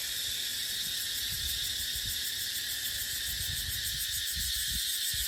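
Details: Cicadas keep up an even, sizzling high-pitched whine in dry dipterocarp woodland during the dry season, accompanied by light fluttering wind noise low in the background.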